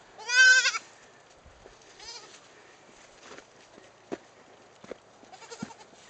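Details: A mother goat (Capra hircus) gives a loud, wavering bleat, then a softer second bleat, calling her twin kids to suckle.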